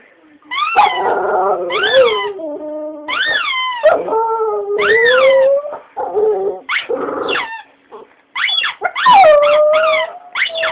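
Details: Pet female dog howling along with a talking Tony Blair toy, a dog that often sings along with things such as a ringing phone. Wavering howls and yips rise and fall, some long and sliding downward, in irregular bursts with brief gaps.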